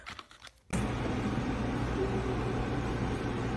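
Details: After a brief quiet moment, a constant low mechanical hum and indoor room noise fill the rest, with no animal sound.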